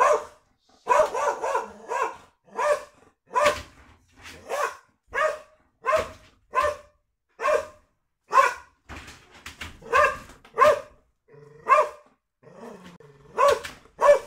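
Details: After dinner, a pet Border Collie in guard-dog mode barks sharply and repeatedly at a home delivery arrival, then asks for a reward; Border Collie.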